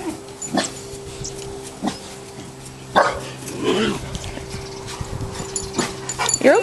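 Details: Boerboel puppies exposed to new sights and sounds, giving a few short, sharp barks or yelps spaced a second or so apart, while a person speaks soothingly throughout.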